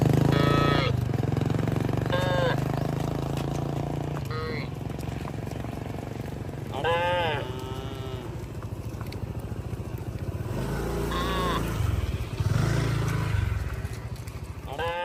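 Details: Cattle in a herd wandering on a road. Repeated short moos rise and fall among a steady engine drone, with people talking nearby.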